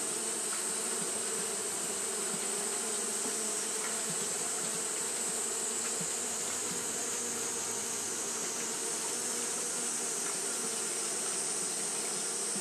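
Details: Japanese honey bees fanning continuously on a hot day: a dense, steady droning hum with low buzzy tones, layered under an even, bright high-pitched hiss that never breaks.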